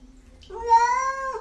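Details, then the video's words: House cat calling out in a humanlike way; one rising then level tonal meow lasting about a second, quiet room around it. "Funny cats talking and yelling like humans"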